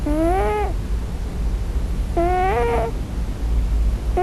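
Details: Scottish Fold kitten dreaming on its first night, crying for its real mother: two drawn-out harmonic mews, the second wavering and slightly longer, with a low steady hum behind.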